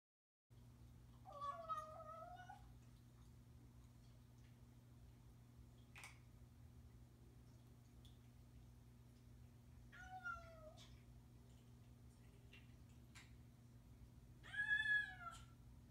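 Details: A male Bengal cat gives three clear, tuneful meows spaced several seconds apart over a steady indoor hum, keeping his owners informed of where he is and what he's doing.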